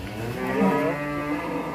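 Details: Bull in Indonesia raging as it leaves its pen for the first time, giving a sustained low harmonic moo that swells slightly and holds steady, over a constant background hum.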